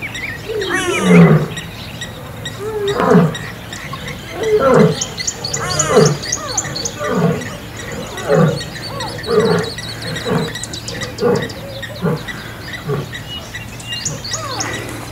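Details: Wild lions in a territorial battle in Kruger National Park, South Africa, an old male against young males: a deep roar opening into a series of heavy grunting calls roughly every one to one and a half seconds, with faint voices.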